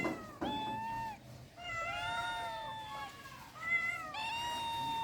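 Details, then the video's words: Domestic cat in rural life giving a series of drawn-out, harmonic meows, each rising then falling, about four calls over five seconds with a faint quiet background. "The sounds of cats in rural life are beautiful"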